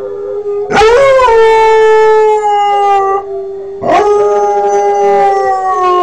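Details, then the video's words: Two howls from Kodiak, a Northern Inuit puppy aged five months learning to howl: each opens with a sharp rising onset, then holds a long steady tone. "Julestar Northern Inuit howling"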